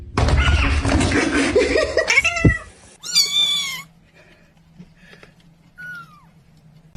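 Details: Cat in a funny home scene: a loud, harsh burst of noise with thuds opens, then a drawn-out, strained high meow, followed later by a short, faint, falling mew in a quiet room.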